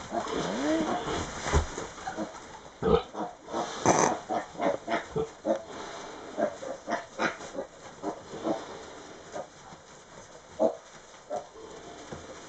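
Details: Tamworth pig on Raasay making a bed, giving a run of short grunts and snorts with rustling of bedding between them; a woman's voice is heard near the start.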